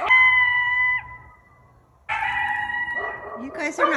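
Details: A coyote in a neighborhood, apparently at night, howls at nearby dogs in drawn-out, steady-pitched notes that fall away after about a second, then howls again, the second howl breaking into harsher yips and barks.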